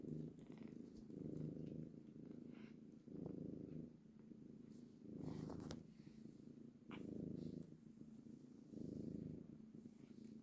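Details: Purring of a mother cat among her kittens: low buzzing rumbles rising and falling in even breath cycles roughly every two seconds, recorded close up, with faint rustling.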